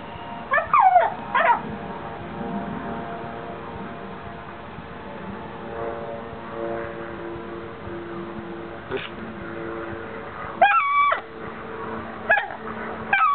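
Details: A Basset Hound lying almost on a homemade quilt gives short, high, squeaky whines in bursts, squeaking with joy.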